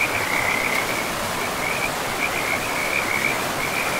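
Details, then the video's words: Frogs by a river in an untouched forest give quick, high, grating croaks in a running series, some clustered and some spaced, above a constant roar of rushing river water. "River and Frogs sleep sounds"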